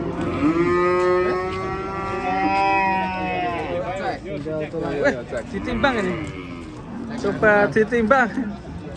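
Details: Cattle lowing in a long, steady, deep moo with rich stacked overtones lasting about four seconds, followed by a series of shorter wavering vocal sounds and background chatter.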